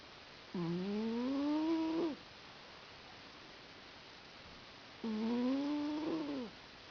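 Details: Snoring from Sammie, a cat dozing on a lap: two smooth, tone-like snores of about one and a half seconds, rising gently, roughly four and a half seconds apart in a quiet room.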